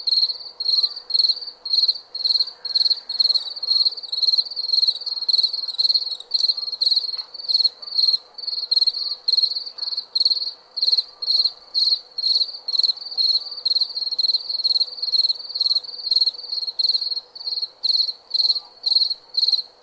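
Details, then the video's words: Continuous cricket chirping at night, shrill pulsed bursts roughly twice per second, unbroken and even, with a faint steady background drone. "Night Sound- Cricket Sound – Crickets Chirping"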